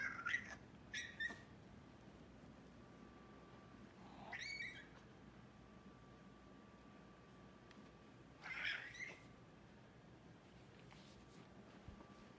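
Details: Male silver tabby American Shorthair, excited to play with his cat-toys: three short, high squeaky chirps spaced about four seconds apart, soft against a quiet indoor hum.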